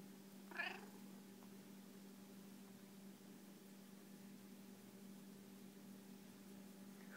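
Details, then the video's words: Veruca, a loud pet cat who will do anything to get petted, gives one short, rising meow near the start, then quiet over a steady indoor electrical hum until a second call begins right at the end. "Life with a loud cat"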